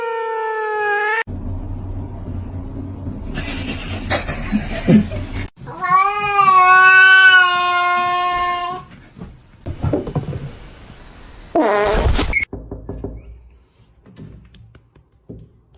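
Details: House cat meowing loudly: a short call at the start, then a long wavering meow of about three seconds, and a brief rising cry near the end, with background rustling and noise in the gaps.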